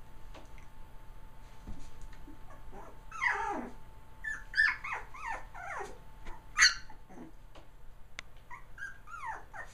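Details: Three-week-old puppies, a litter of three males born November 22, 2009, giving high, wavering whimpers and squeaks in scattered bursts, with a faint steady hum underneath.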